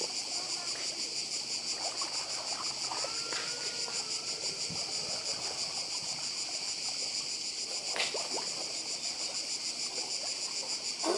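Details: Cicadas trill nonstop beside the sea on Croatia's Badija island: an intense high buzz with a quick pulse, a faint drawn-out whistle near the start and a sharp click around the eight-second mark.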